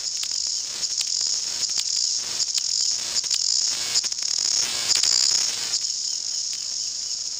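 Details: A dense chorus of New Zealand chorus cicadas (Amphipsalta zelandica), endemic to New Zealand, sings in the bush at peak February density. It is a continuous, very loud, high shrill buzz with ticking pulses, distorting when recorded close.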